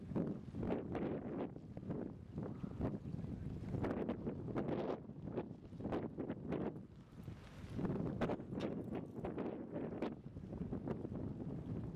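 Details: Gusty wind buffets the microphone at a dock in San Mateo, with rumbling low roars rising and falling and no animal voices.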